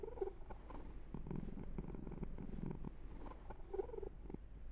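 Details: Pet kitten Yumak being massaged and groomed, giving a softer low purr beneath louder crackling fur-rubbing and handling noises.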